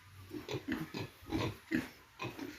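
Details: Piglets just brought to a farm give soft, low, muffled grunts in quick uneven bursts, around eight in under three seconds, over a faint steady hiss.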